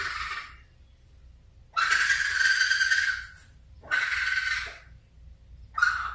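A baby raccoon gives harsh, squealing cries, each lasting about a second, with brief pauses between them.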